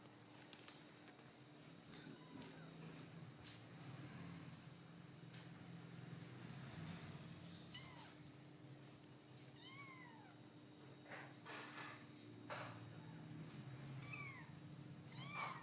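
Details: Domestic cats, with several short rising-then-falling meows scattered through, some clustered around the middle and near the end, over a steady low electrical hum and rustling background.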